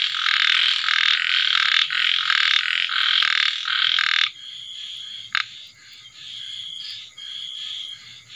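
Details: Night chorus of small frogs after rain: rapid repeated rasping croaks in loud bursts for about four seconds, then the chorus drops away, leaving scattered quieter trilled calls.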